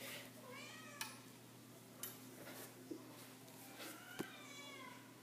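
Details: Domestic cat meowing indoors, said to be missing her grandpa and wanting him to come; several drawn-out harmonic meows near the start and end, with sharp clicks and a steady low electrical hum in a small room.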